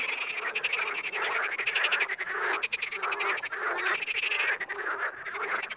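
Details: Frogs calling in the wild, a busy chorus of rattling, pulsed croaks with some louder bursts standing out, the loudness rising and falling every second or so.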